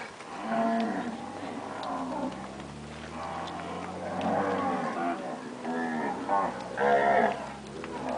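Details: Moos from a herd of purebred Nelore cows that have calved overlap almost without pause, rising and falling. A steady low hum runs underneath.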